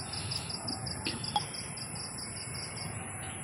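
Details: At night in a garden, a cricket chirps in rapid, evenly spaced high pulses in short trains over a faint hiss and soft rumble of a cool wind under a cloudy sky after hot days.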